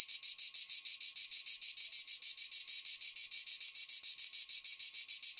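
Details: Shrill pulsing buzz of a cicada, very regular beats about seven a second, loud and high, nothing else audible.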